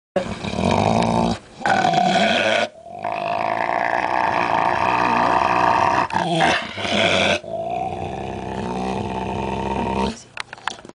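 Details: A female Alaskan Malamute growls and grumbles in long, rough, drawn-out stretches, a fierce junkyard-dog growl she gives at herself in the mirror or when the household Husky enters her space.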